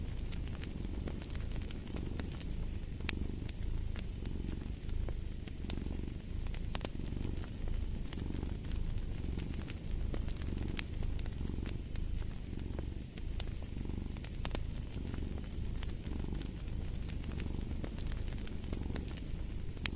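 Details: Low rhythmic cat purr rising and falling roughly every second with each breath, a steady rumbling base beneath constant crackling and popping from a wood fire.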